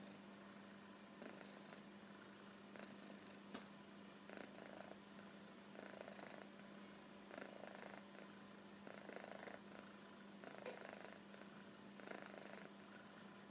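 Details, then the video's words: A sleeping kitten named Koro, curled up contentedly on a sofa, gives a long run of soft, rasping snores, roughly forty breaths a minute at an uneven pace, under a constant faint mechanical hum indoors. "いびきをかく猫 - Snoring Kitten -"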